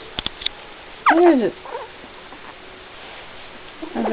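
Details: Two puppies, one brown and one black, vocalising indoors: a single loud, falling, nasal whine lasting about half a second, preceded by a few soft ticks and followed at the end by a faint rising whimper.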